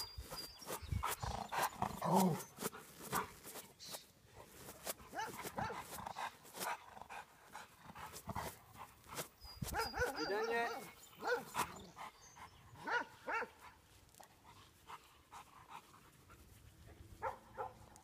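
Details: Grumpy Rottweiler guard dog giving quiet, scattered barks and rough bursts of sound, loudest near the start and again around the middle, with low background noise between them.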